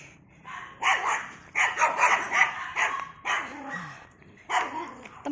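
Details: Poodle on a Sunday morning exercise walk, barking in quick clusters: a run of rapid yapping barks, then single barks after pauses, loud and bright against faint outdoor background.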